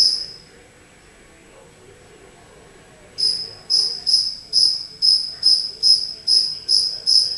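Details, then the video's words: Inside a house, a single stray cricket stays silent for about three seconds, then starts a run of high, ringing chirps about twice per second, each sharp at onset and fading, ten in all. "Cricket Chirping"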